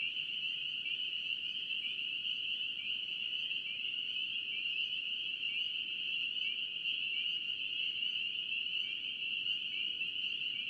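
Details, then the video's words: Dense chorus of spring peepers from North Carolina: high, thin, upslurred peeps repeated rapidly by many frogs at once, forming a constant shrill wall of sound over quiet low rumble. "NC Peeper frogs"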